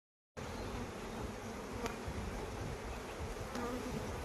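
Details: Honey bees at a Khmer honey farm in Cambodia during the flowering season, their steady dense buzzing forming a continuous low hum that fills the whole stretch without pause.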